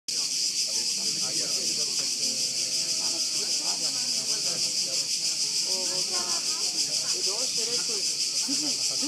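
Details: Cicadas on Lokrum, described as amazingly loud, produce a continuous dense buzzing hiss that fills the upper range without pause, with a person speaking German quietly underneath.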